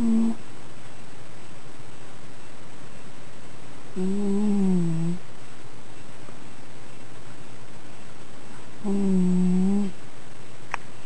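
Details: Old male Shiba Inu asleep indoors, snoring: two low, droning, hum-like tonal snores with faint upper harmonics, each about a second long and roughly five seconds apart, over steady room hiss.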